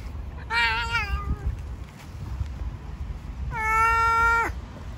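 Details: A homeless stone-coloured cat living among stones on the street, being given food, gives two clear meows, the first falling and wavering, the second longer, steady and loud, over low rumbling outdoor background noise.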